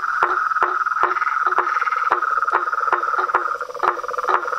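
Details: Frogs, toads and treefrogs calling together, with a continuous trill overlaid by loud, evenly spaced knocking pulses about once a second and a lower tonal croak in between.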